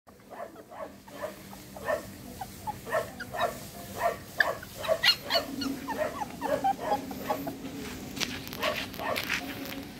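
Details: Shih Tzu puppies at a breeding kennel in Pune and Mumbai, Maharashtra, India: a busy run of short, sharp, high yips and yelps, often overlapping, several per second. A faint steady hum enters after six seconds.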